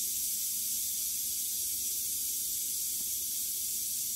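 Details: Recently shed western diamondback rattlesnake at a mouse kill: loud, constant high hissing rattle buzz filling all four seconds, with one faint click near the third second.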